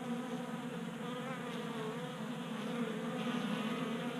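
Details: A cluster of honey bees feeds from a 3D printed bee feeder in a Colorado garage in January. A dense, low buzzing hum holds steady, with slight wavering pitches as individual bees move about.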